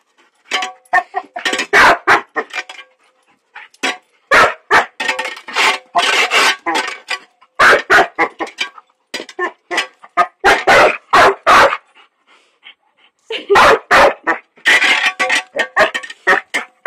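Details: Puppy barking frantically at gardeners shovelling sand beside a lake in Hamilton, New Zealand, refusing to walk past; a rapid, irregular run of loud, sharp barks in bursts, with brief pauses and faint scraping between.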